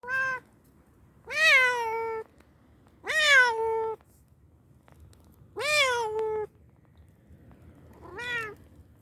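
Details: Domestic cat meowing indoors, five drawn-out meows with a rising then falling, slightly whiny tone, each lasting about a second, spaced one to two seconds apart, quiet room between calls.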